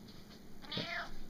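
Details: Domestic cat being talked to indoors gives a short meow that rises then bends downward, with a low thump and faint room noise around it.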